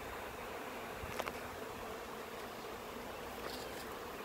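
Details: Swarming honey bees being housed in a hive box with their queen after clustering high in a maple tree, June 10, 2017. Soft continuous droning buzz with a couple of brief clicks and knocks.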